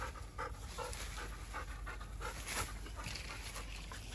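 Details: Persimmon-loving Labrador Retriever on a group walk, straining to reach fruit left only high on the tree. Quick, breathy pants come in steady bursts about twice a second, over low outdoor rumble.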